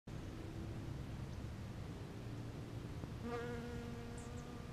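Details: Bees visiting purple flowers: a steady low droning hum with a faint harmonic stack runs throughout, and a louder buzz swells in at about three seconds as an insect passes close.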